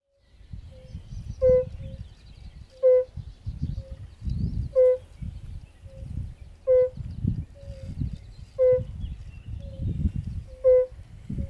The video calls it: Kumak nizinny / European fire-bellied toad